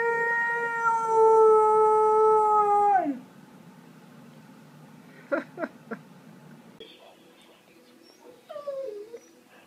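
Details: Alaskan Malamute giving a sustained, steady, harmonic-rich howl for about three seconds that then slides down in pitch; afterwards a few faint sharp clicks and a short falling vocal near the end, with music in the background.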